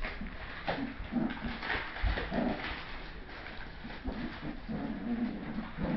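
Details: Seven-week-old Bichon Bolognese puppies at play indoors, giving low, grumbling growls and brief squeaky yips in quick, irregular bursts, with scuffling and soft thumps in a small room.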